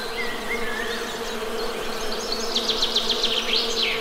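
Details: Honey bees produce a continuous low buzz. A few whistled bird slurs come first, then a bird repeats a sharp chirp about eight times in quick succession.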